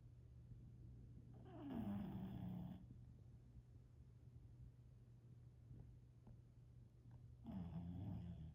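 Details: A snoring bulldog: two slow, rough nasal snores about six seconds apart, each a low rumbling breath with a faint buzzy overtone, and quiet breathing between them.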